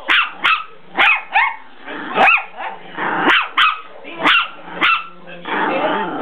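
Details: Dogs on attack in play: a rapid series of sharp, tonal barks roughly every half second, interspersed with rough growling snarls, ending in a sustained growl.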